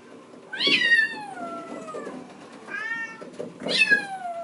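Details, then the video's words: Bengal kittens in a kitten room, seen through a screen door around a cat wheel; one little kitten, seeing someone outside and wanting to come out, bawls in loud, drawn-out meows, each starting high and sliding downward. "the little kitten wants to come out he sees me standing here and he's bawling"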